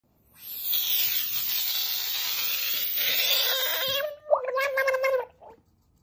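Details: A frog screaming: a harsh, hissing, broadband scream held for nearly four seconds, then a shorter wavering, tonal cry with a clear pitch after a brief break.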